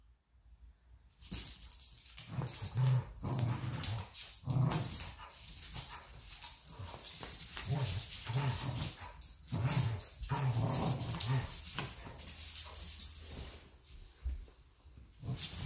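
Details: Golden Retriever and a Chihuahua/Rottweiler mix playing tug of war together indoors: continuous low, rough growling in short bursts, with huffing breaths and scuffling throughout.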